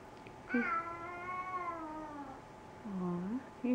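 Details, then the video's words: Hungry cat asking for its dinner indoors, giving a long level meow that trails off, then a softer short rising-falling mew, and the start of another meow at the very end; faint background hum. "Solo is ready for dinner"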